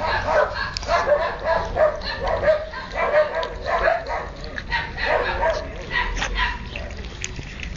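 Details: Playing Siberian Husky puppies at mealtime make a dense, overlapping stream of squeaky yelps, whimpers and scuffling noises, rising and falling in quick irregular bursts throughout.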